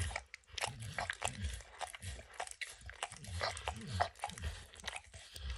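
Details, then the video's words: Dog named Max eagerly licking peanut butter and bits of kibble from an orange mat; steady sticky smacks and clicks come several per second, mixed with deeper mouthing thumps, and no voices. "Dog Licking Sounds"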